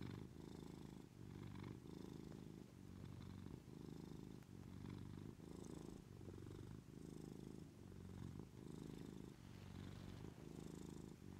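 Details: In the morning in bed, a female Maine Coon cat purrs steadily as she waits for her owner to get up, a deep rumbling drone that swells and eases with each breath.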